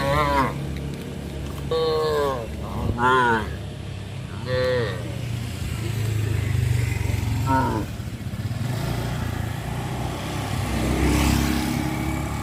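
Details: Afternoon cattle on a village road heading to the livestock pen on a traditional farm; a run of five or six short, bending moos in the first eight seconds, then a droning engine rumble and distant voices.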